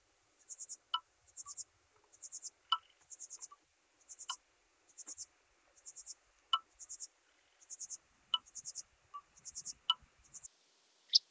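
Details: Red-winged grasshopper (Oedipoda germanica) at Mörnsheim, Germany, on 14 July 2023, giving short, high, buzzy pulse bursts repeated about twice per second, with occasional sharper lower clicks between them.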